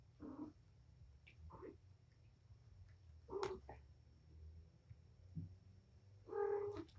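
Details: Patience, the mother cat from Purrfect Pals, at play with her five kittens on 7-25; soft, short meows spaced a second or more apart over quiet indoor rustling, ending on a louder mew.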